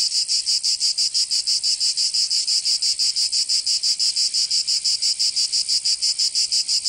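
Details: Cicadas singing in summer in Provence, southern France: a dense, loud, high buzzing drone pulsing rapidly about three times per second in an even rhythm, with no other sounds.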